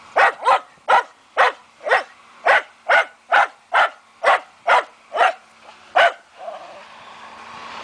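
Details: Fox Terrier hunting wild boar, barking in a rapid series of sharp, even barks, about a dozen in six seconds at roughly two per second, then stopping as a rushing noise rises at the end.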